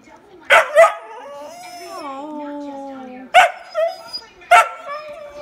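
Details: Young male whippet moaning because his sister has the toys, with two sharp yelps, then a long, steady, slowly falling whine, then more clipped yelps.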